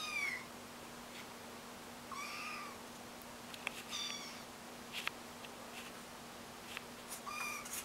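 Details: Young kittens, still learning to walk, make four thin, wavering mews a couple of seconds apart. Each is short and slightly falling. A faint constant hum and small tapping noises come from the room.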